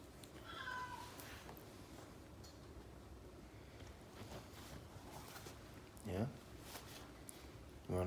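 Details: A Siberian Husky interrupts its owner's reading to get his attention, giving brief, whining, talkative yowls.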